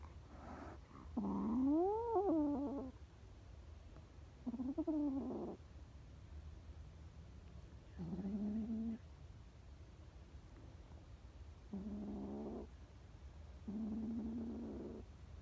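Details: Scared stray kittens on the street meowing: several harmonic meows, some rising then falling, some flat and drawn-out, spaced a few seconds apart over steady low background hum.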